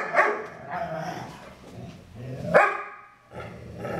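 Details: Play sounds from the foster dogs Maddie and Stella, with bigger Stella making odd noises during fun play. Two loud yelping bark-like bursts stand out, separated by lower rumbling growls and a harmonic whine at the end.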